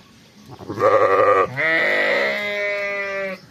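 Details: On a sheep farm, fall lambs give two back-to-back bleats: a short, harsh, shaky baa followed by a longer, steadier, higher-pitched drawn-out bleat, with quiet background around them.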